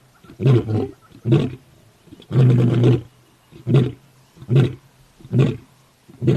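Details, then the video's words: Lion and lioness: a series of deep, pulsed roaring grunts about once a second, one longer louder roar in the middle, each burst low and rumbling with short quiet gaps between. "Lion sound video ll Lion Original Sound"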